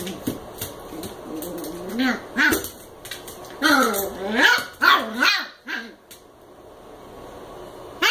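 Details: American Eskimo puppy, eight weeks old, playing indoors with a Chihuahua mix; a run of high, bending yips and short squeaky barks in bursts, with a person talking softly between them.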